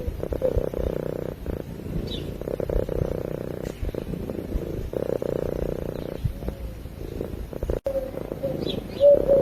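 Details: A domestic cat purrs in its sleep close to the microphone, a low even buzzing drone in long stretches separated by short quiet gaps, with a few faint high chirps.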